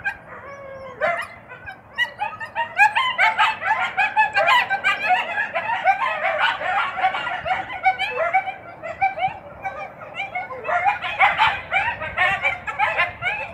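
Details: A captive coyote pair, a male attending closely to a female that is fixed but has intact ovaries, gives a rapid chorus of high yips, barks and wavering howls in late-February mating behaviour.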